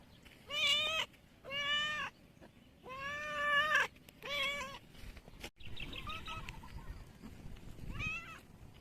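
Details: Cat asked where its kittens are answers with a run of drawn-out, harmonic meows, four strong ones close together, then fainter, softer mews and one final short meow, with light background noise.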